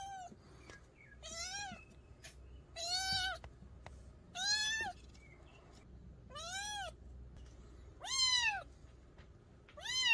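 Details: Young mountain-village cat meowing seven times in a steady series, each call a clear arched wail that swells and fades, spaced about one and a half seconds apart, with faint background hiss. Intended for repelling rats in the countryside.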